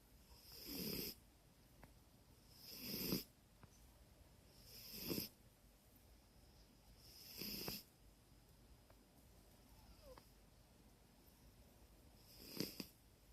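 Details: Dumbo Jones, a dog, asleep with a twitching face, snores indoors: soft breathy snorts with a hissing edge, five of them spaced roughly two seconds apart, in a quiet room.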